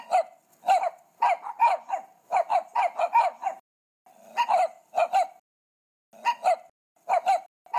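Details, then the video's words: Several puppies yap in rapid bursts of short, high, clipped barks, grouped in runs of three to six with brief silent gaps between them. "là những con chó con. Con chó con kêu thế nào?"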